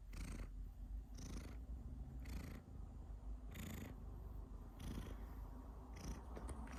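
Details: Cat purring with occasional coughs: a steady, deep rumbling purr throughout, with a rasping, breathy burst about every second as the cat breathes in and out.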